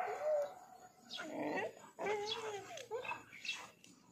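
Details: Dog that has found a lizard it cannot catch, making whining, squealing vocal sounds with wavering pitch, repeated in several bouts.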